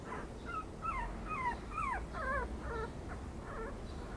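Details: Yorkipoo puppy whining: about eight high, thin whines in a steady series roughly every half second, each sliding downward, later ones wavering, over a low background rumble.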